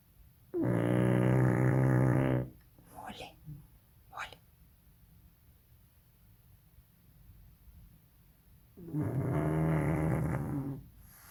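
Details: Sleeping baby pug Molly snores twice, each a raspy, low, buzzing breath lasting about two seconds, separated by roughly six seconds of near quiet with a couple of soft clicks or snuffles.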